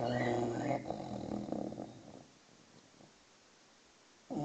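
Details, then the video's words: English bulldog puppy, six months old, sleeping: one low rumbling snore fades out over two seconds into near silence, with a faint bird note at the start and another breath beginning at the end. "Snoring bulldog (6 months old)"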